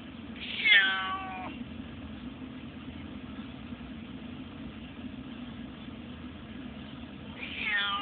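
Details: Pandora, a cat shut in her carrier in a taxi on the way to the vet and not happy, gives a loud wavering meow, then another about seven seconds later, over a steady low rumble of the moving car.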